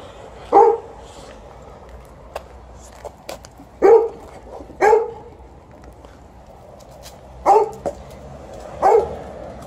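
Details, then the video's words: TJ, a 12-year-old Golden Retriever, barks to ask for fetch during ball time after a morning walk, with Liza the Alaskan Malamute nearby. Five sharp, mid-pitched single barks are spaced irregularly over ten seconds against quiet background hiss. "12-yo Golden Retriever also wants to play fetch and he lets me know"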